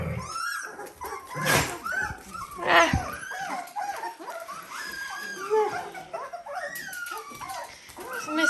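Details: Seventeen-day-old Dalmatian puppies squeak and whine in short arched cries, scattered and overlapping, with a human voice and some handling noise in the room.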